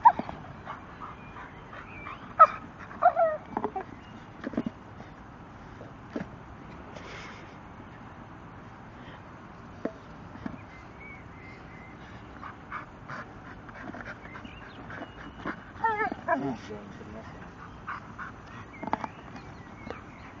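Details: A 10-month-old Staffordshire Bull Terrier named Gorman at play with his tyre, giving scattered high whimpers and brief yips spread across the stretch, with a cluster of wavering whines in the later part and quiet gaps between.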